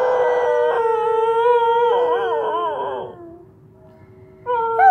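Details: A dog joins its owner in a howl: a long steady tone that wavers and warbles near the end. A short pause follows before another howl begins rising at the close.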